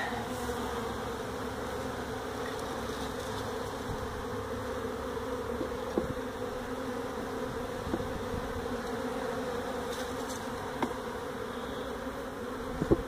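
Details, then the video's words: Feral honey bee colony that built its hive inside a tractor tire, in a stack of tires at a citrus orchard in Mission, Texas, heard during hive removal: a steady, dense droning hum of many bees, unbroken throughout, with a few faint clicks. "Honey Bee hive removal in a tractor tire"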